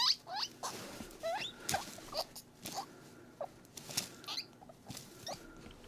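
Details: A guinea pig gives a run of short, high squeaks, each sliding upward, as happy noises while being squeezed as he drinks milk.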